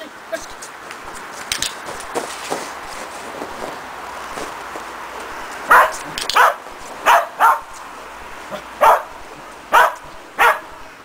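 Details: Shetland Sheepdog Preston training running contacts over a box with an added jump grid: low rustling at first, then seven crisp, high-pitched barks spaced roughly every half to one second.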